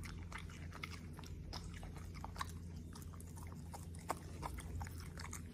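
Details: A Corgi eats vegetables, blueberries, tripe and steak with quick soft chomps and a few louder crunchy bites, steady throughout, with a constant low-pitched hum underneath.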